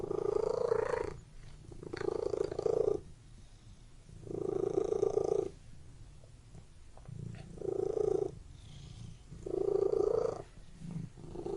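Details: Purring cat inside a room, a steady low vibrating rumble in about six phrases of one to one and a half seconds each, alternating with short quieter gaps like breathing in and out.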